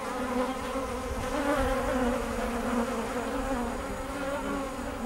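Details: Kept bees humming in a continuous, even drone, a low steady tone with layered overtones that wavers slightly in loudness but never stops.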